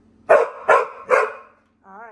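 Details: Mary, a female Pit Bull indoors, talking and complaining because she is bored and wants to go out on the deck: three short, harsh, rising vocal bursts in quick succession, followed by a brief faint tonal sound.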